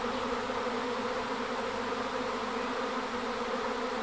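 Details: A wild swarm of honey bees at Aigurande gives a dense, steady hum. The drone holds even throughout with layered tones and no pauses, and nothing else is heard.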